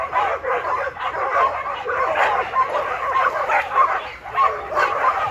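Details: Nearly 7-year-old tri colour Border Collie Jed at the farm, insisting everyone runs on time; a steady stream of rapid, rough barks, with voices mixed underneath.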